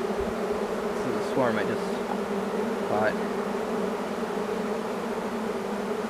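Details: Large wild honeybee swarm moving in, giving a steady droning hum with two low bands throughout. A couple of brief rising whistle-like sweeps cut through around the middle.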